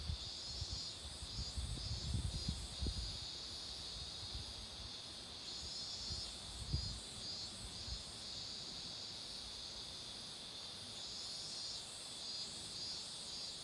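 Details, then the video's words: Continuous high-pitched cicada drone by a roadside where marigolds bloom, even in loudness throughout, with a few low rumbling bursts early on and near the middle. "매미소리도 들어 보세요"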